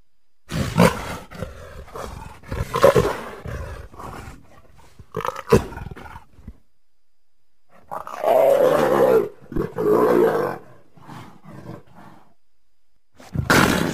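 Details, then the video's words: A leopard gives rough, broadband roaring bursts at irregular intervals, with two longer, harsher growling roars near the end separated by short pauses. "Leopard Sounds"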